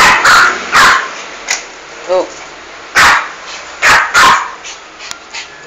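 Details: Aggressive female toy poodle killing a large rat in a home bathroom, letting out harsh, high yaps in short clusters, one pair near the start and another pair later, with a brief thin squeak between and human voices faint.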